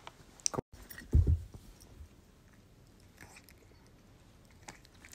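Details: Cats crunch and chew treats indoors in a small room, with a few brief biting clicks and no calls.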